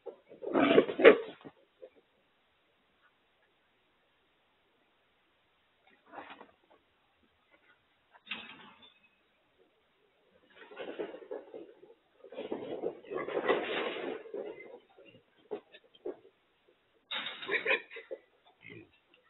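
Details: Trapped feral hogs (wild pigs) caught in a corral trap and being loaded: loud, harsh squealing grunts in rough bursts, a long run of grunting between roughly twelve and fifteen seconds, with quiet gaps between outbursts.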